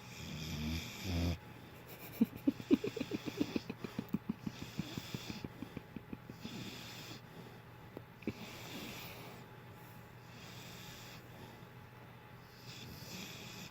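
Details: A sleeping dog named Rondo snores in a rapid, rattling run of short snorts for about six seconds, followed by a single loud rasp and then softer, slower breathing.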